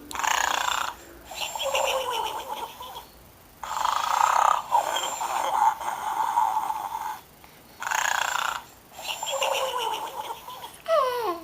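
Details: Sleeping pig snoring in raspy, rhythmic bursts roughly every one to two seconds, each breath a rough broadband rattle with brief quiet gaps between, ending with a short gliding whistle-like tone.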